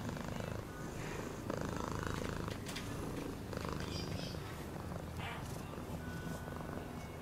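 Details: A house cat purrs continuously, deep and vibrating, the pulsed rumble swelling slightly near two seconds, with scattered soft ticks and rustling above it.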